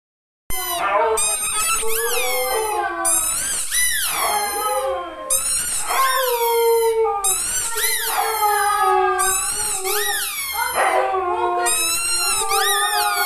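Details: Siberian Husky named Coco Chan, a pet praised as a singer dog, howls in long wavering, rising-and-falling phrases in several bursts roughly two to three seconds apart, each starting high and sliding down, with short gaps between.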